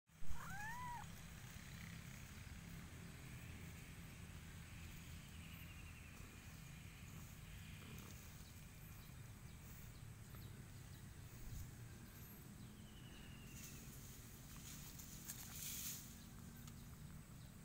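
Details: A very affectionate, spoiled domestic cat purring steadily in a low, rumbling, evenly pulsed drone throughout, with a short rising-and-falling mew right at the start and a few faint high clicks later.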